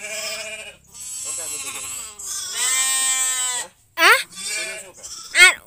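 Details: Goat giving birth with human help, calling in drawn-out wavering bleats with a trembling, buzzy quality, followed by two short sharp cries near the end.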